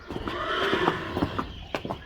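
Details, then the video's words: Friesian horse at a training stable in the Netherlands, staying a few weeks of training before its inspection; a shaky, harmonic whinny swells and fades over about a second, followed by sharp knocks and clatter like hooves on a stable floor. "Friesian Horses"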